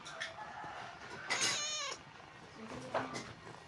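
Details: Tejo, a pet cat, gives a drawn-out, wavering meow partway through, with a short faint sound before it and a brief higher note near the end over a low background murmur.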